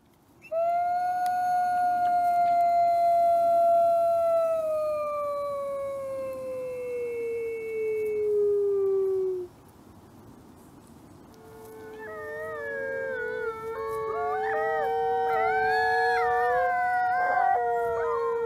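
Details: Captive-born gray wolf at a conservation center gives a long, smooth howl that glides slowly downward over about nine seconds. After a pause, several other wolves join in with overlapping, wavering, rising and falling howls in chorus.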